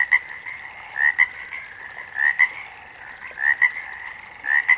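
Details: Frogs in nature, one close individual producing short paired croaks, an upward-sliding note and a brisk second note, around every 1.2 seconds, above a steady chorus of other frogs.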